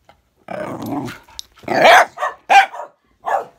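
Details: Bedlington whippet squaring up to a Patterdale, rumbling growl lasting about half a second, followed by four harsh, snapping barks spaced unevenly.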